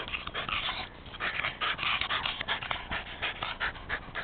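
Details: Rat Terrier named Jack, a rescue dog, panting hard between throws in a fetch game; dense, rapid airy gasps run back to back across the short stretch.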